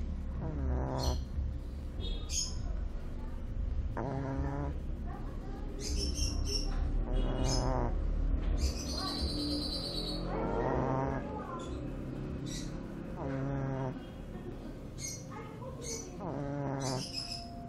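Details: Sleeping Shih Tzu puppy, two months old, snoring in a steady rhythm: wheezy, buzzing snores about every two seconds, with some brief higher squeaky noises in between and a low background hum.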